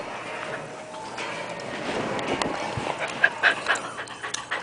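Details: A puppy makes breathy, snuffling pants broken by a few brief, thin squeaks while being played with.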